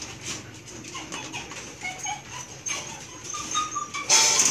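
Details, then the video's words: Belgian Malinois puppies, eight in the litter, at milk feeding time; short thin high whines and squeaks rise and fall over a few seconds amid clattering feeding noise, ending in a louder burst of rustling. "Belgian Malinois Puppies Milk Feeding Time"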